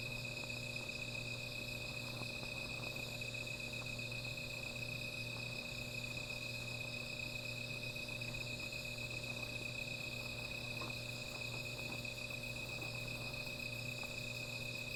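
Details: An unbroken night-time insect chorus beside a small fire: shrill, steady ringing at several pitches holds for the whole stretch, with faint scattered fire crackles and a low background hum.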